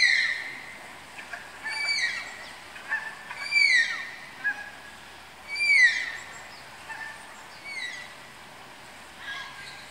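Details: Malayan tapirs at a zoo enclosure in Tama Zoological Park, Japan, calling during pairing: high, whistled squeals that slide steeply downward with bright overtones, about five bursts spaced one to two seconds apart, over a steady background hiss.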